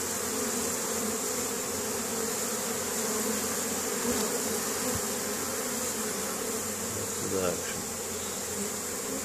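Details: Honey bees foraging in spring at Caribou, Nova Scotia, Canada, on 10 May 2015, carrying pollen home to a colony building up before the nectar flow; a steady, dense droning hum with a brief rising tone near the end.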